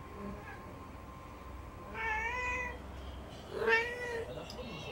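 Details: Four domestic cats begging for food indoors on 20 March 2019: two harmonic meows, one around two seconds and a louder one near 3.7 seconds, with low background hum and a person speaking afterwards.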